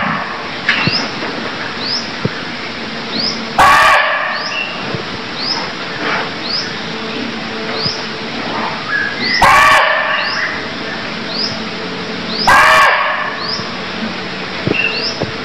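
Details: Cambodian deer calling three times, with loud, abrupt, rasping cries spaced several seconds apart. Quick upward chirps repeat steadily in the background against constant hiss.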